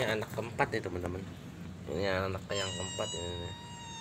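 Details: Persian cat with kittens: a drawn-out, wavering meow with rich harmonics, then a higher, steadier cry, mixed with a person talking nearby.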